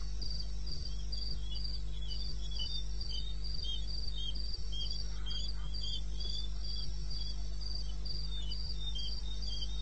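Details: Cricket in eastern Botswana wilderness at 02:30, 21 May 16: repeated high thin chirps, somewhat uneven in spacing, running through the clip above a persistent deep hum and faint scattered ticks.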